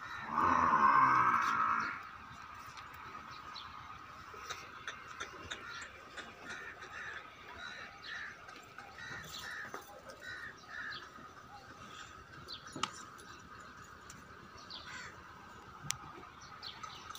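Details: A young female buffalo for sale at Rana Dairy Farm, Rajanpur, lets out one strong, two-second harmonic moo at the start, then the farm goes quiet apart from faint ticking and scattered clicks.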